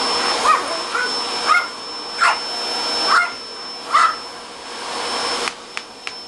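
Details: Angelina, a Papillon dog at home, whines at the vacuum cleaner: five short rising-falling yelps roughly every 0.8 seconds over the constant hum of the machine, which cuts off near the end leaving a few clicks.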